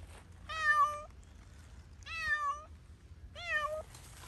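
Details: Cat playing freely outdoors in Pushkin Park, giving three clear, drawn-out harmonic meows about a second and a half apart, each level then dipping at the end, over a low background rumble.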